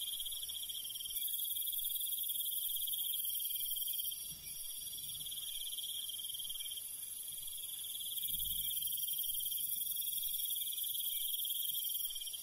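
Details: Crickets heard at night in the countryside: a steady shrill pulsing trill runs throughout, while a very high hissing layer switches on and off in blocks of a few seconds. A soft low thump occurs briefly.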